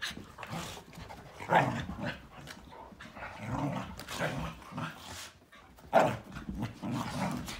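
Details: Three playing dogs, a Malinois, an Akita and a Corgi, in a morning romp; throaty growls and huffs rise and fall over a steady background of scuffling, with a sharper growl peak around six seconds.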